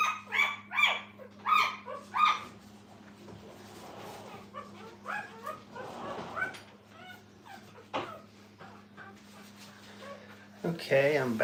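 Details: At a training kennel, puppies with their mother give three sharp high yips in the first two seconds, followed by softer scattered whimpers and shuffling, then a loud whining burst at the end, with a low steady hum behind.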